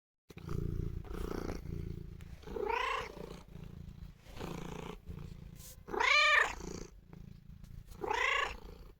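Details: Domestic cat purring while showing affection to its owner, a low steady rumble running beneath three loud, rising-and-falling meows spaced a few seconds apart.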